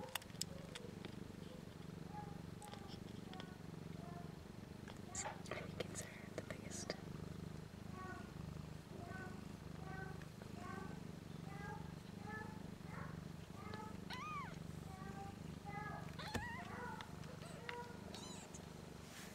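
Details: Four one-week-old kittens, three female and one male, with eyes and ears not yet open, nursing on their mother and just starting to learn to purr: a soft, steady low rumble runs throughout, with thin high squeaks scattered over it.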